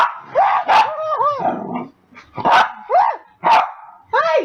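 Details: Pet puppy Max after his dinner gives a string of high, yelping yips and short barks with rising and falling whiny tones, spaced irregularly, mixed with human voices nearby.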